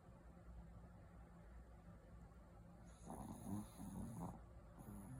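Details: White Pekingese asleep, snoring in a soft, low rumbling rhythm of quick breaths; about three seconds in, a brief louder stretch with voice-like sounds and a high hiss interrupts.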